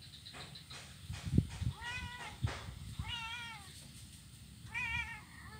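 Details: Blind kitten playing on an ironwood bridge on Jalan Kolonel Sugiono, Kuala Kapuas, Central Kalimantan, Monday 25 November 2019; three clear, wavering meows at roughly one-and-a-half-second intervals, with dull thumps of paws on wood and low background rumble.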